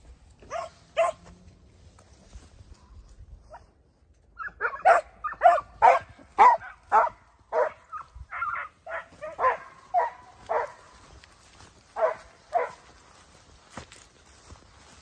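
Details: Segugio Italiano hounds, Foulis's puppies aged 8 and 17 months together with their father Geko, give a burst of sharp, ringing barks at a quick, uneven pace, the volleys crowding together midway before tapering to scattered yelps.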